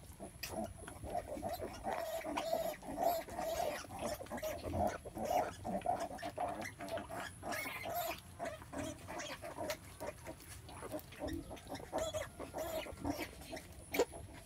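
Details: Sow in labour giving birth, keeping up a rapid run of rough grunts, roughly two each second, steady in pitch and uneven in rhythm, with a faint constant hiss in the background.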